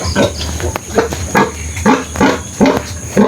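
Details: Mother pig and her remaining piglets after giving birth, seven of twelve having died; short throaty grunts come in a regular series about every half second, each a brief low burst.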